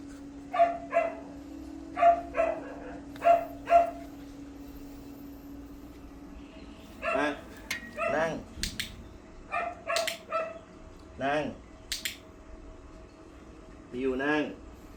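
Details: Mi-yu the Pomeranian yips during training to sit and lie down for food: four evenly spaced high barks, then more scattered yaps mixed with a trainer's speaking voice and laughter.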